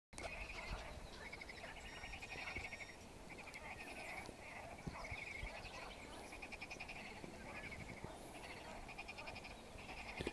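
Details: Frogs singing in a lake: a dense chorus of pulsed, trilling croaks stacked around a steady mid-high band, overlapping continuously, with a few faint higher whistled notes and soft clicks.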